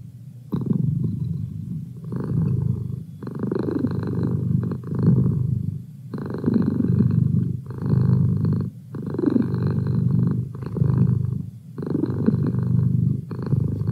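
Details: Close, loud purring from Merlin, a domestic cat, a throbbing low rumble in long inhale-exhale phrases of about two seconds, each separated by a brief hush.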